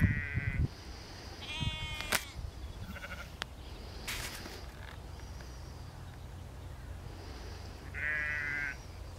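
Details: Sheep in a field being herded by Border collie Lars, a four-year-old working sheepdog: three short, nasal, wavering bleats, at the start, near two seconds and near eight seconds, with quiet gaps, sharp clicks and low wind rumble between.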